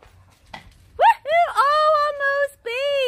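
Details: Daisy, a mastiff, eager during a frisbee game called "Monkeys in the Middle" with other dogs, gives loud tonal whines, rising then held, in several drawn-out bursts with short gaps; faint thumps underneath.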